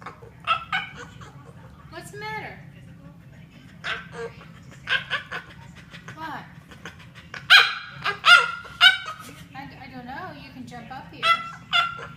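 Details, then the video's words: A French Bulldog making funny noises: a long, irregular run of short squeaky yelps and whining squeals, loudest in quick clusters near the end, with short pauses between bursts over a steady low background hum. "French Bulldog makes funny noises"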